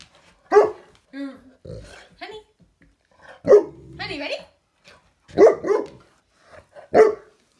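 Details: Female Saint Bernard indoors, playing with a grasshopper she wants to eat, gives four sharp, loud barks spaced roughly two seconds apart, with a person talking between them.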